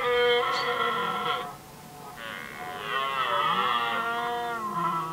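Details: Red deer stags contesting hinds during the rut in Västmanland, Sweden, 2010: two long, harmonic-rich roaring bellows with a wavering, bending pitch, the second extended and slightly tremulous, separated by a short quiet gap.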